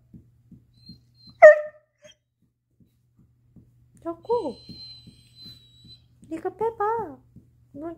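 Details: Chaco, a black female Labrador-Coonhound mix born October 2019, indoors trying to get her ball out: one sharp bark, then whiny, falling and rising harmonic yelps in short bursts, with soft taps in between.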